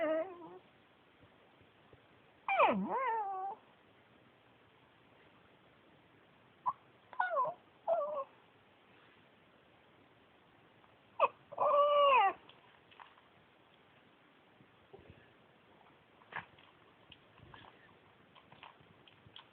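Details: Talkative male Pekingese Yuyu, adopted from a shelter: scattered bursts of swooping, downward-sliding whines and short groans, one more tonal rising-falling whine near the middle, separated by quiet gaps with faint shuffling.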